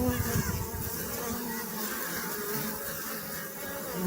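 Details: Dense humming of honey bees, a low continuous buzz slightly louder at the start, with a few faint higher tones drifting over the drone.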